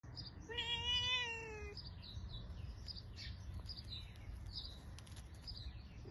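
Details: Mother cat upset by her kittens' mischief: a single fairly long, even meow lasting just over a second, slightly falling at the end, over steady low background hum and faint high chirps.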